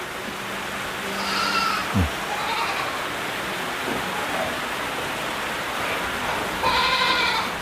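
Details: Black goats on a large Jeju experience farm in rain: a quavering bleat around one to two seconds, a fainter one after, then a louder trembling bleat near the end, with constant rain and a brief thump.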